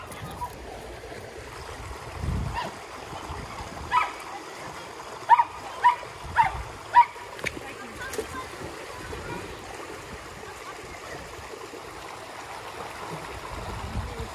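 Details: A pool party for Border Collies Junior and Zeru, joined by a Springer Spaniel and a stick-loving poodle; a quick run of about six clipped barks midway, with splashing, running water and human talk around them.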